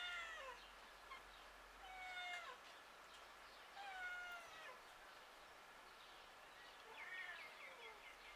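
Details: Street cat outdoors calling in four clear meows about every two seconds, each one bending downward in pitch, with soft ambient outdoor noise behind.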